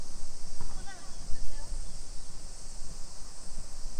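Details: Summer cicadas shrilling in a steady, unbroken high hiss through a suburban neighbourhood of Nisshin city near Nagoya, Aichi, Japan, at 2 PM on 28 July 2021, with a brief thump and a few faint chirps near the start.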